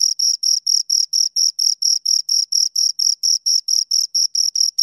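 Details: Two crickets give sharp, high-pitched chirps in clean separate pulses, roughly four to five per second, evenly spaced and loud against silence.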